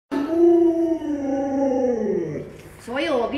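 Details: Luoluo, a pet Alaskan Malamute, howls indoors while being given chicken treats: one sustained harmonic howl that slowly sinks over two seconds, then a short rising-and-falling yodel. Mandarin speech surrounds it.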